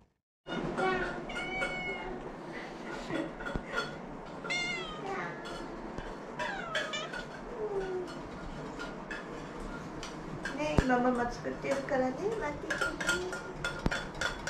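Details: Two former rescue cats begging for food; repeated short, bending meows, rising then falling in pitch, come in bursts throughout, sometimes overlapping, with talking in the background.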